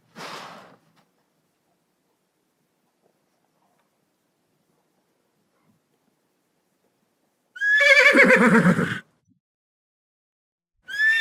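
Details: Horse giving one loud whinny midway, a descending series of shaky harmonic pulses lasting about a second and a half. Short fragments of the same neigh sit at the very start and end, with silence in between.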